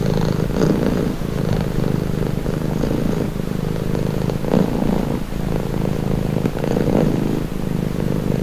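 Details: Domestic cat purring steadily: a deep, continuous rumbling drone that swells and eases with each breath, with soft rhythmic pulses of intensity and no other sounds.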